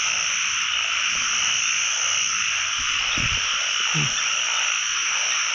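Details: Narrow-mouthed frogs (อึ่ง) calling throughout a pond during the first frog catch of the year. A dense, continuous high-pitched chorus of overlapping croaks is broken by a few low splashing and handling thumps.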